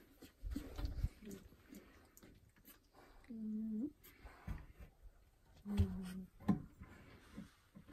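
A pit bull makes two sustained, low-pitched vocal sounds, each lasting over half a second with a steady, slightly moaning tone. Faint thumps and quiet indoor noise fill the gaps.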